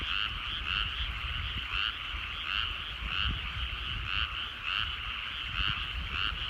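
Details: Frogs calling in countryside rice paddies at sunset in the evening: a steady chorus of two-toned rasping croaks pulsing roughly once a second, overlapping voices, over a soft low rumble.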